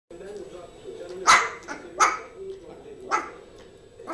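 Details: Yorkshire terrier Zizel, a female, playing with her new mouse toy: three sharp, high barks spaced unevenly over about two seconds, with a low murmur of human voices underneath.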